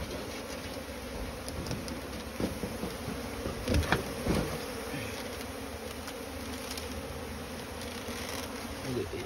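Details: Asian honey bees (Apis cerana), small wild honey bees, nesting inside a pile of straw while smoke is used on the nest; a steady low buzzing hum throughout, with scattered knocks and handling noises and brief human voices.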